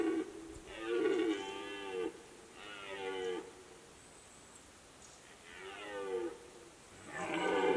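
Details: Rutting red deer stag in the Fatra mountains giving a series of four rough, groaning roars, the first the longest at over a second, with short pauses between and a longer silent gap in the middle.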